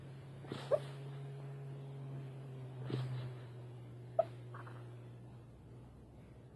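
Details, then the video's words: Foxy, a fox asleep, snoring with a low steady drone under her breath while letting out a few short sharp yips and huffs, about three spaced across several seconds, in a quiet room. "Foxy snoring and barking in her sleep."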